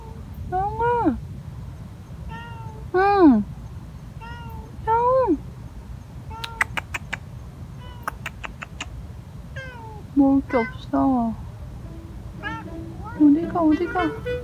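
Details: Stray street cat crying insistently at night: a long run of meows, many rising then falling steeply, some shorter chirp-like calls and a burst of clicking taps midway, over low urban rumble.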